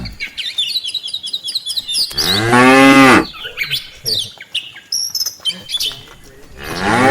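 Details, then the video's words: Afternoon return of a tame cattle herd to the farm pen, with one full moo near the middle, a fainter moo starting at the end, and high bird whistles and chirps before and between. "suara sapi desa"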